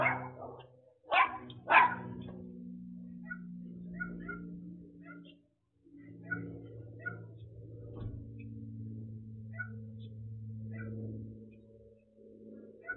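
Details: A little dog in the United States interacts with a delivery driver, giving commands before a race. Three loud barks open the recording, followed by faint, scattered yips over a steady low rumbling hum.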